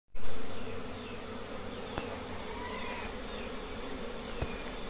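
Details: Western honey bees at a simple nest holding many colonies hum in a steady, low drone as many insects buzz together.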